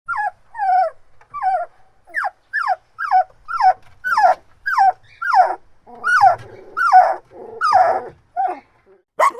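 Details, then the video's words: Dog whining and crying in a steady run of high, falling whimpers, each sliding downward, about 83 per minute, growing louder and more strained toward the end, with no other sounds. "Dog Barking/ Whining/ Crying Sound Effects"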